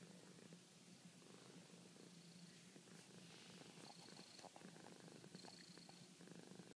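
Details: A contented house cat gives a gentle, rhythmic purr, a low vibrating drone cycling with its breathing, joined midway by a few faint high thin tones and light clicks of movement.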